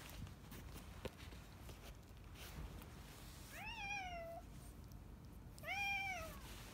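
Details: Former boss cat of a residential district, retired into home hospice care since spring 2020; two arched meows about two seconds apart, the second louder, over low background hiss.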